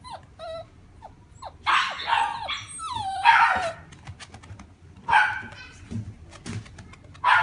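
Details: Italian Greyhound, a fawn-and-white male born August 2016, in a pet shop: high whining whimpers and sharp yips, some notes sliding downward, in bursts separated by short pauses, with faint background rumble.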